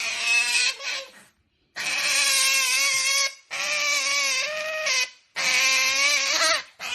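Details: Princess otter Qoo making happy noise while eating her favourite meal: loud, high harmonic squealing whines in long bursts, slightly wavering in pitch, separated by short pauses.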